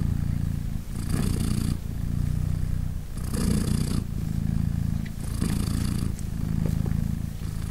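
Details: Purring from Polina, a British Shorthair mother with three newborn kittens aged three days, as they nurse; deep continuous rumble alternating with breathy high-hiss intervals about every two seconds, slight rustling between.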